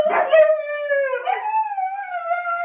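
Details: Pet Siberian Husky howling long and loud: a brief rough yelp, then a sustained wavering tone that dips, jumps back up and holds steady for over a second, with strong overtones throughout.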